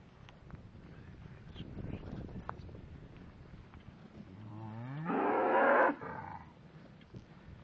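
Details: ['Shorthorn cattle, cows with calves. A single strong moo rises and swells for about a second and a half, after several seconds of rustling and low background rumble.']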